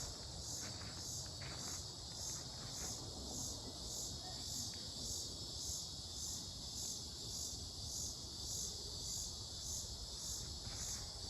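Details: Unidentified insect recorded at Mankato, Minnesota, on 18 July 2025: a dense high buzzing chorus pulsing almost twice a second over a steady thin whine, with a low rumbling background.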